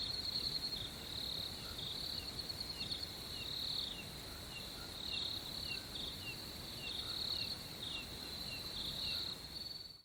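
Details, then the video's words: Crickets at night chirp steadily in a high, continuous pulsing trill that runs unbroken throughout. "crickets at night sound effect"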